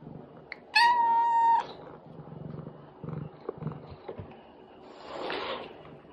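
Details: Calico cat meowing to a person for food, later hissing at her tuxedo kitten; one long, steady, drawn-out meow near the start, then soft clicks and rustles and a brief breathy hiss-like burst toward the end.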